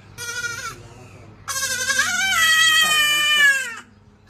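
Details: A pet goat bleating while its owner talks to it, two harmonic bleats, a short one and then a longer wavering one of about two seconds, with a voice underneath.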